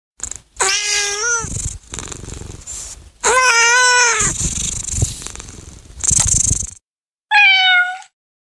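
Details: Kitten giving drawn-out, wavering meows that rise and then fall, two long ones and a short final mew, with low rumbling purr between the calls.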